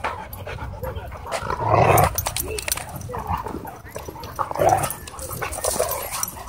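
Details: Playing dogs at a dog park give two stronger rough barking bursts near the second and fifth seconds, with lighter growly noises and scuffling between them.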